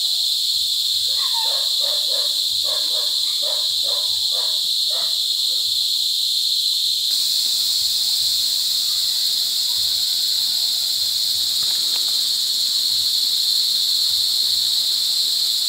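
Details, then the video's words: Loud mating calls of cicadas in La Carlota City, Negros Occidental, Philippines, recorded July 18, 2020 in cicada season: a constant piercing buzz throughout, over a run of rapid, pulsed, bark-like notes in the first seven seconds. "Pinaka Maingay na Insekto sa Buong Mundo | Cicada Season | Cicada Mating"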